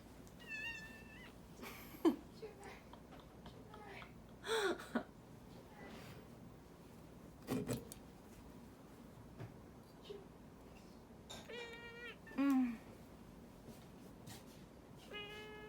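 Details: Domestic cat protesting while its claws are clipped indoors: three short, tonal meows spread far apart, with sharp clicks and quiet talking between them in a small room.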